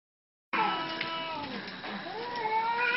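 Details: Cats in a fight described as a wild cat fight filmed in 2016: after half a second of quiet, one long drawn-out yowl with wavering harmonics that dips in pitch midway, then climbs again toward the end.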